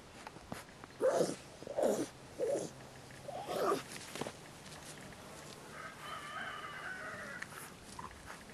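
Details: English Bulldog puppies give four short, hoarse barks in quick succession, each under half a second and spaced about a second apart, then fall quiet while a rooster crows in the background.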